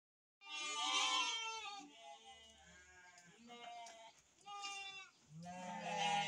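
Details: Farmed sheep in a breeding operation, ewes with lambs: several overlapping wavering, nasal bleats crowd the first second and a half. Quieter bleats and a murmur of human speech follow, then a strong bleat returns near the end.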